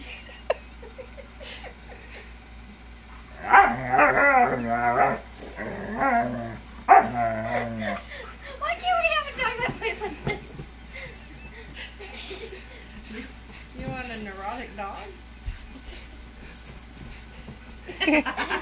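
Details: Siberian Husky stealing a blanket gives a run of whining, yowling vocal bursts with rising and falling wavering tones. The bursts come in clusters over several seconds, then quieter yips follow, against a low steady indoor hum.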